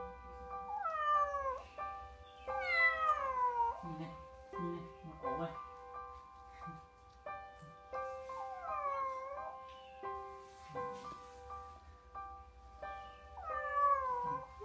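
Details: Young domestic kittens recovering from cold-induced pneumonia after abandonment in a freezing field, meowing repeatedly: five or six plaintive, downward-curving cries spread across the stretch, a few shorter squeaks between them, with sustained music tones throughout.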